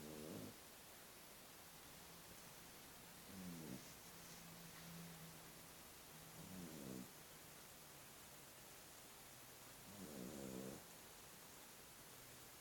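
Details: Sleeping puppy, worn out after two hours of hard play, gives short, gravelly snores roughly every three to four seconds, with soft low humming between them and constant faint background hiss.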